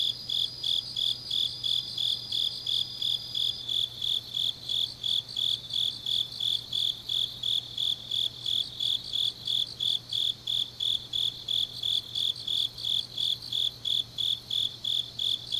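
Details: On a deep autumn night in Changnyeong, South Gyeongsang, Korea, a chorus of grass insects repeats sharp high chirps in a steady rhythm. A thin steady whine sits above them for the first few seconds, with a faint low hum throughout.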